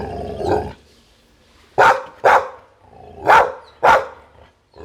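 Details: Barks from a Pit Bull come in two quick pairs, each pair of sharp, harsh woofs about half a second apart, after a softer muffled sound at the start.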